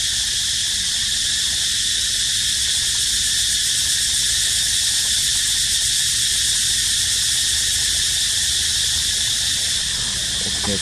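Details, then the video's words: Unbroken cicada drone, high and buzzing at a flat, steady loudness, with a brief faint squeak near the end. "Amazing Sound Of Cicada Crying"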